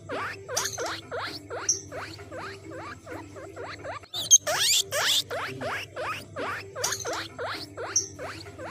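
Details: Guinea pig calling, said to summon other guinea pigs: a steady series of short squeaks that dip and then rise, about two and a half per second. A low electrical hum runs underneath, and loud rustling bursts come near the middle.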